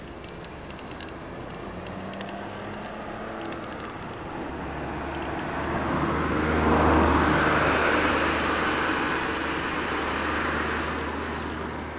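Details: Road traffic rumbles steadily, and a passing vehicle swells louder around the middle before easing off. No animal voice is heard.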